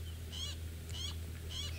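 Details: Squirrels, very upset at a genet nearby, give harsh, buzzy alarm calls in short repeated bursts over a low safari-vehicle engine rumble; the observer had hoped the shouting meant a leopard.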